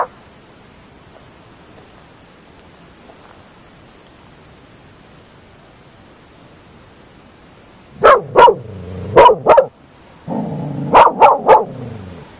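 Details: A Groenendael (Belgian Shepherd) barking at night in open fields gives sharp, deep barks in two quick bursts after a long quiet stretch.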